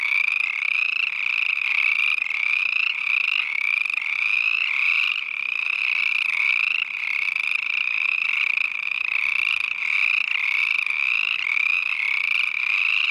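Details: Many small chorus frogs in a pond along a trail in Uinta-Wasatch-Cache National Forest, Mirror Lake Highway area; steady, unbroken chorus of fast, rising trills stacked on one another, each lasting about a second, loud and unrelenting.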